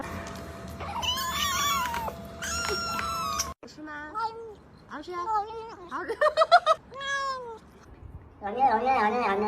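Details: Kittens making funny noises while eating: high wavering cries at first, then a run of short, quick meows rising and falling in pitch, ending with a louder drawn-out meow.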